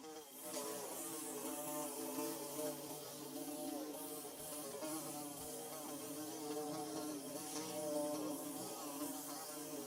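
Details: Steady chorus of bees humming while they build a comb, many wingbeats layered into a dense, wavering drone that keeps an even loudness throughout, with faint background hiss.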